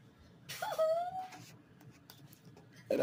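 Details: Kitten giving a single thin, drawn-out mew that bends slightly downward, followed by quiet room noise and a brief rustle at the end.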